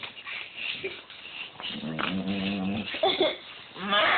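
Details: Pet dog Ava doing one of her funny noises: a drawn-out, low, steady groaning moan held for about a second, with people talking and calling her before and after.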